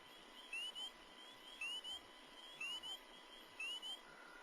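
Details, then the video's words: A male spring peeper at a Cape Ann vernal pond gives its mating call of high, clear, upslurred peeps, about one each second; the call can carry half a mile. "mating call of the male spring peeper can be heard from half a mile. This tiny frog is a frequent vernal pond breeder but"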